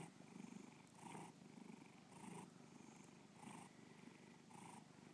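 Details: Low, buzzing purr from Bubba the house cat, filmed for a 2013 gallery show in Lakewood, Ohio; rhythmic inhale and exhale surges near one per second over a constant throaty drone.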